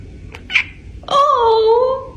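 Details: Pet female cat meowing back indoors after her owner asks her to meow: a brief human word, then one long drawn-out tonal meow lasting about a second, slightly falling in pitch, in a small room.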